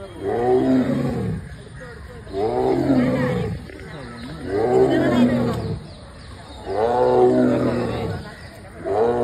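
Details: Captive tiger at Thiruvananthapuram Zoo roaring toward onlookers: four loud, throaty, harmonic roars, each lasting about a second and a half. They come in a steady rhythm roughly every two and a half seconds, with quieter breathy gaps between.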